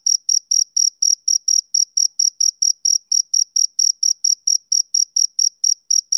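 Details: High, piercing chirps from a male cricket, typical of summer evenings, in a rapid regular pulse of about four per second with steady volume and a faint overtone, with no other sounds.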